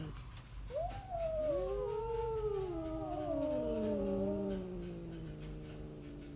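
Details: Domestic cat uttering a long mournful yowl that rises quickly, then slowly sags and wavers downward over several seconds, with a steady low hum behind it.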